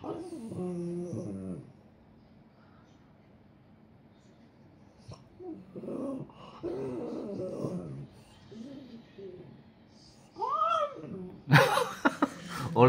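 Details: At New Year, a French Bulldog complains in low, groaning whines that bend up and down like speech as its owner coaxes it to say woof. There are three bouts of complaining mutters, ending with a sharp, harsh outburst.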